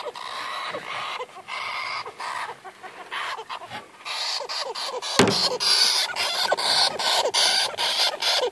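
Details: Harsh, buzzy chattering squeals from a young Syrian golden hamster, afraid or annoyed at its first handling after arriving on 8 February 2014. The bursts come in quick, uneven succession with a brief louder crack midway.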